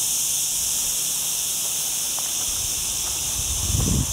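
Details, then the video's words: Cicadas singing among olive trees in the lower area of Sierra Llana on a cloudy day of a very hot week, recorded on a Sony A6400 camera during a mountain hike: a steady, unbroken high-pitched hiss with faint low rustling near the end. "Olive Trees and Cicada Sounds"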